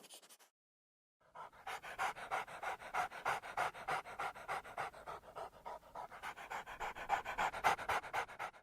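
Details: Dog breathing fast, rapid rhythmic panting of about three breaths per second, each a breathy huff, steady and even after a brief silent start.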